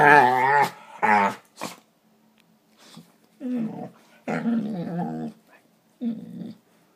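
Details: Pet dogs play fighting indoors with funny noises: two loud whiny growl-moans, then quieter grumbling growls in short bursts about a second apart, with gaps of silence.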